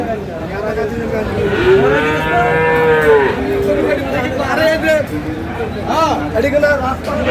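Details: Bull calf, Friesian or crossbred, for sale at Aftabganj livestock market in Dinajpur, 7/6/26. A long, slightly rising and falling moo, followed by shorter, fainter bellows from other cattle amid busy crowd talk.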